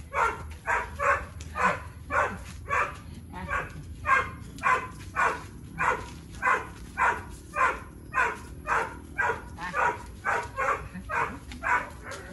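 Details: Three-year-old Boxer Tyrion, a dog with high play drive, in recall and engagement practice; over twelve seconds about twenty evenly spaced harsh, breathy bursts follow one another at a quick steady pace over a faint low hum.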